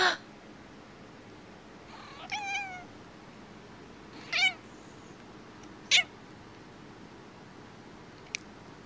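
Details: Keira, a pet cat unhappy at sneezing, gives three short harmonic meows a second or two apart, the first two wavering and the last clipped, then falls silent apart from a faint click in a quiet room.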